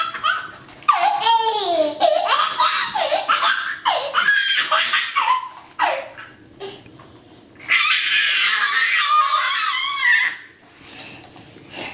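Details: A toddler giggles and belly-laughs in bursts, with short pauses between loud peals, in a small room; no animal sound is heard.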